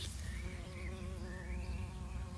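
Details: Bumblebee among the plants growing in a garden crib wall, recorded 24 November 2020; a steady, low wavering buzz with a stacked hum runs through the whole moment over a deep rumble of background noise.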